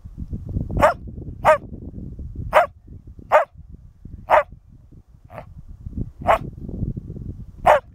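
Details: Border Collie in working trials training on Lauder Common, barking on command for the speak exercise: eight sharp, loud single barks spaced roughly one second apart, one fainter, with low rustling and outdoor noise between them.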